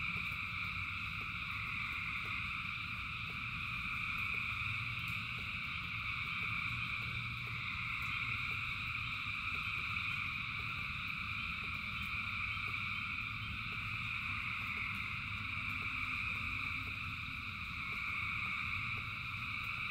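A dense, unbroken frog chorus trills steadily while rain patters and a low rumble runs underneath.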